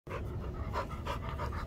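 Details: About three-year-old male American Staffordshire Terrier at an animal shelter awaiting adoption, panting in quick regular breaths, roughly three per second, with a steady low background rumble.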